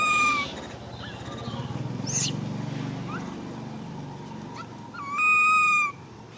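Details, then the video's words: Baby monkey Ramy screaming, with a short high tonal cry at the start and another steady, piercing scream lasting under a second near the end, over a low rumbling background. "Why did baby monkey Ramy stand up and scream so loud like this?"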